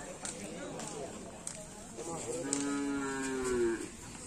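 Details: Karapan Sapi race cattle, team Griduh Onggu, training at the Asemanis field in Madura: one clear, drawn-out moo, rich in harmonics and slightly falling at its close, after soft knocks and background noise.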